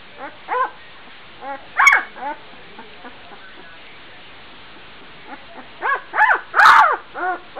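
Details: Twelve-day-old Gordon Setter puppy barking as it runs around while its littermates try to sleep: scattered high, arched yips separated by quiet pauses, with louder sharp yelps near the middle and end.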